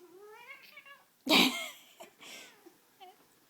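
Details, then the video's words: Male pet cat playing with a string toy indoors, with a wavering rising meow at the start, then a loud sharp knock or thump, a noisy burst, and a short faint final mew. "Cat yelling at cat toy"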